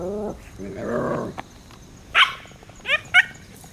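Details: Shiba Inu mother dog warning off crows during her puppies' second outdoor playtime on a hot summer day, 14 September 2017; soft whining tones at first, then three sharp, loud barks in quick succession near the end.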